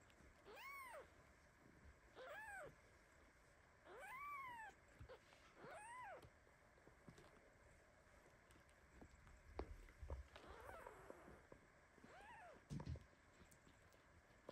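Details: Mother cat Basi lies on her baby kitten, who meows in protest and fights her off with his paws even in sleep; a run of five arched high mews in the first six seconds, then quieter rustling, scratching and one last mew.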